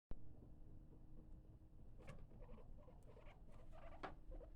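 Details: A male capybara, usually very calm, makes soft, low chutting sounds while sniffing in his indoor pool enclosure, with short muffled clicks and grunts over a low rumble.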